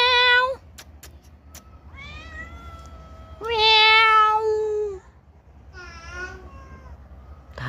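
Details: Domestic cat meowing: three loud, clear harmonic meows, each about a second long and slightly falling, separated by quieter gaps with a softer meow near six seconds, faint speech and low background hum.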